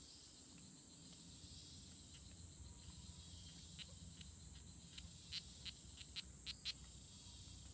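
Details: Fighting strawberry poison dart frogs, Oophaga pumilio, recorded June 24, 2016 at La Selva Biological Station near Sarapiquí, Costa Rica; sharp high ticking notes repeated in an uneven series, growing stronger toward the end, against steady rainforest insect hiss.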